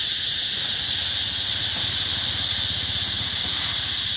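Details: A wall of cicada sound at Mỹ Luôn eco-tourism site, summer 2021: high, steady, sizzling buzz from a massed chorus, unvarying throughout, over a light low-pitched pulsing hum.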